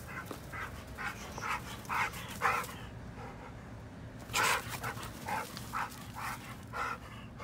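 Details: Brindle pit bull full of energy, playing without toys: short, rough barks and yips repeated about every half second, some in quick pairs, over a steady low hum.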